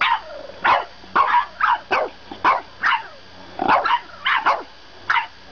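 A French Bulldog gives a string of short, grumbling yips and whines, about two each second.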